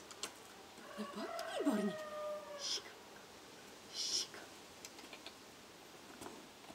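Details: Male Shih Tzu named Ubbe Jo Brilliant of Moravia gives a short, thin, high whine that bends downward over about a second, followed by quiet rustling and a couple of soft clicks in a still room.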